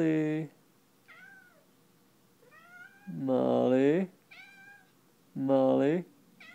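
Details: Pet cat meowing indoors around a condo: several drawn-out, harmonic-rich meows, some loud and wavering, others softer and rising then falling, spaced over a few seconds, with a woman repeatedly calling the cat's name in between.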